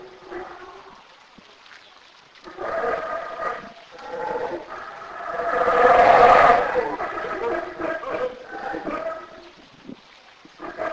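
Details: A black howler monkey in Belize gives deep, rasping howls that swell to a loud roar and then fade.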